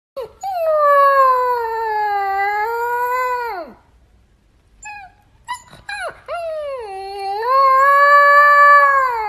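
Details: Husky puppy howling: a long, clear, rising-then-level tonal howl of about three seconds that sags at the end, a pause with small yips, then a second sustained howl climbing upward.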